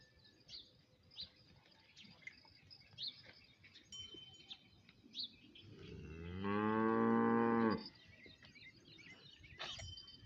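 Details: A bullock cart racing bull on an Indian farm gives one loud, drawn-out moo lasting about a second and a half, with rich harmonics, amid quiet background ticks, soft bell-like chimes and faint birds.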